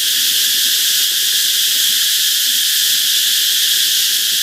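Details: Cicadas calling along a canal in the Mekong Delta: a dense, unbroken high-pitched buzzing drone that holds steady at full strength throughout, with faint low murmurs underneath.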